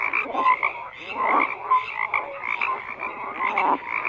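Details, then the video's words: Dense frog chorus of overlapping croaks and rattles, with swelling bursts of louder calling and occasional short whistled notes. "FROGS CROAKING"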